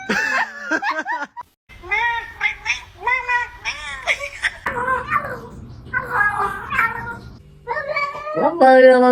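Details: Cats making strange sounds: a run of drawn-out, wavering meows and yowls with rising and falling harmonic tones, broken by short pauses, ending in a higher, strained cry, with people laughing in the background.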